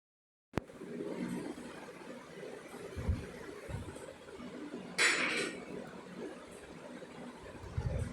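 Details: Quiet indoor room noise with a sharp click near the start, low rumbling handling sounds and a brief clinking burst midway; no animal voice.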